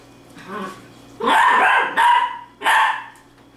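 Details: Dachshund named Izzy playing with her new baby sister puppy indoors; two loud, harsh barks with a high whining onset, each lasting about half a second, in a small room.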